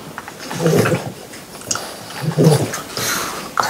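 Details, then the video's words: French Bulldogs eating watermelon indoors in summer, recorded up close as a dog eating show: wet, crunchy bites and chewing in two bursts, with soft smacking and small clicks between. "강아지 먹방 ASMR 여름이 가기 전에 수박을 먹어보았어요 ~ 프렌치불독 팡 쿤 뽀 수박 먹방"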